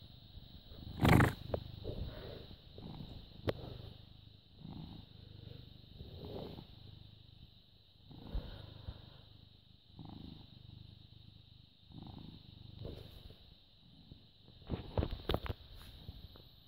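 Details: A British Shorthair cat of about six years, recorded at 09:16 in the morning on 14 May 2017, purrs in a low, rumbling rhythm that swells with each breath.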